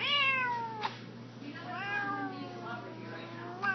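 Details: Male house cat meowing near a young girl indoors: a long descending meow that fades, then a softer wavering meow that rises and falls, with light tapping sounds and a hushed room behind.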